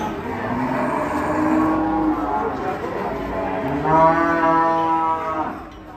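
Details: Enraged cow, its neck choked tight, charging an old man. It gives a long, deep, harmonic-rich bellow, and a second loud moo follows near the end over background music.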